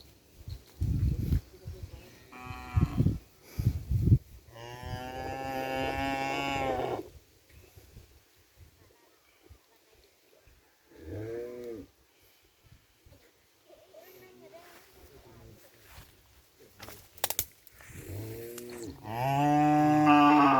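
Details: Cattle in a pen on Sapudi Island, breeding stock for kerapan sapi racing bulls. Loud, drawn-out lowing moos of two to three seconds alternate with shorter bellows, amid knocks and thumps in the pen.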